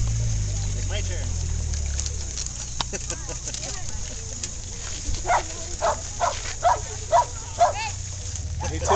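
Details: Corgi barking at a doggie drinking fountain during the May Corgi Meetup, while one dog waits and another splashes in the water: a run of about six sharp barks roughly every half second in the latter half, after human voices and water noise.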